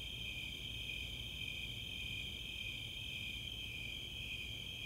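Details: Snowy Tree Crickets and Four-spotted Tree Crickets calling on a summer night in Boulder, Colorado's Chautauqua open space; a dense, even, high-pitched pulsing trill in two bands fills the whole stretch.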